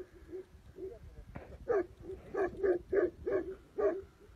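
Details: Tibetan Mastiff from Tibet giving a run of short, deep barks, soft at first, then louder and spaced about every third of a second, with faint low background noise.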